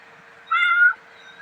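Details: Mischievous young male pet cat utters one short, steady meow lasting under half a second, fairly level in pitch with a few clean harmonics, over a faint constant hum and quiet indoor room tone.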